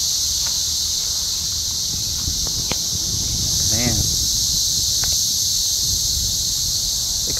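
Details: Cicada invasion near Columbia, Missouri, in trees at an RV park, calling in the daytime: a steady, dense high buzzing chorus runs unbroken throughout, with a brief harmonic squeal near the middle and faint low rumble beneath.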